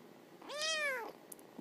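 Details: A kitten lying with its mother, said to sing her a lullaby before falling asleep, gives one drawn-out meow that swells upward and then sags back down.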